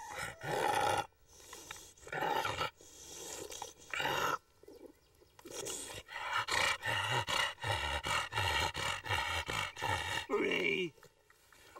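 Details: Pet bulldog giving drawn-out, harmonic roaring growls, then a rapid run of short, rhythmic grunting bursts at about three per second, with breathy snorts in the gaps.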